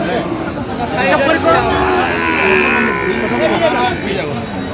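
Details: Sahiwal breed bull calves offered at a Feni livestock market, 9 November 2025: a sustained, steady-pitched moo in the middle, laid over constant murmur from buyers and sellers.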